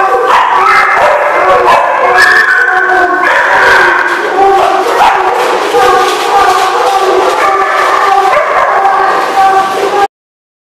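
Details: Kennel full of dogs in a constant mixed chorus of howls, yips and barks, overlapping tones rising and falling throughout before an abrupt stop.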